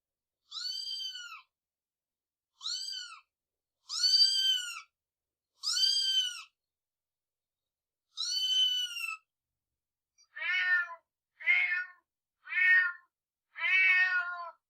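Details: Cat meows: five clear, drawn-out tonal meows with arched pitch and rich harmonics, then four shorter, harsher, lower meows in quick succession, all in near silence.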